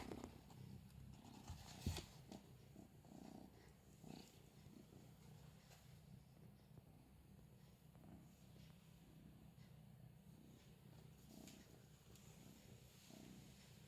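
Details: Steady low purring from a young female Scottish Fold kitten, four months old with straight ears, during play with a feather-wand teaser; continuous soft rumble with a few brief taps and rustles of the toy.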